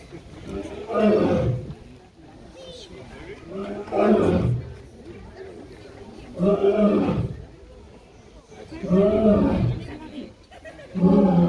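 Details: Lion roaring in a slow series of loud, rough, breathy bursts, each about a second long and repeated roughly every two and a half to three seconds, with quieter grunting between.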